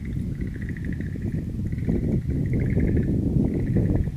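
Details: Frogs calling in a wild-flower garden on 11 April 2013. Pulsed high trills come in bouts of about one to one and a half seconds, separated by brief gaps, over a constant deep rumbling background.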